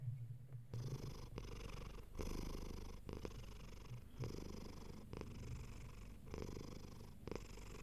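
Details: Comfy, relaxed domestic cat purring: after a brief quiet start, a steady low rumbling purr sets in, broken by short breath pauses roughly every second, with each inhale-exhale cycle clearly audible.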